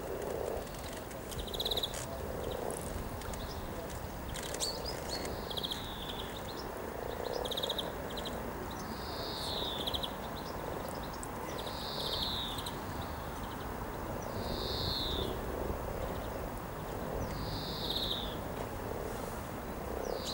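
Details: Spring mating gathering of hundreds of frogs beside the river at Cow Tower, Norwich, on 7 April 2013; a steady low, grating purr of many croaking frogs, while a bird repeats a short downslurred whistle every two to three seconds.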